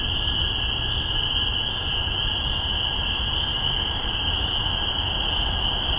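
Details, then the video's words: Spring peepers calling in Massachusetts during spring 2015, recorded on a spaced MXL 603 omni pair into a Tascam DR-40: a nearby frog gives short, rising peeps about twice a second over a continuous shrill chorus of many others. "Spring Peepers"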